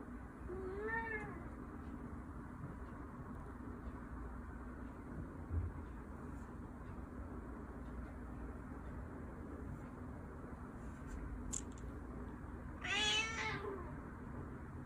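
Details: Indoor Persian cat at mealtime: one short descending meow near the start, a long quiet stretch of room hum, then a second, louder falling meow near the end.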